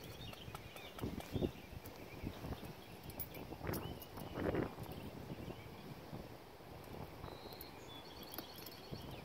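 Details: BR Bigshot, called Echo, a six-year-old registered Appaloosa gelding standing 16 hands, ridden in the evening while asked to extend, jog, turn around and switch leads; muffled, irregular hoof thuds on soft footing over a faint steady outdoor hiss.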